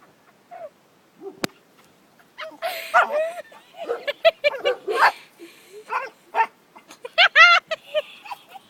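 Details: Kisses the pet dog yaps at a little turtle, a rapid run of sharp yips and barks mixed with brief whimpers, loudest near the end, while a person talks nearby.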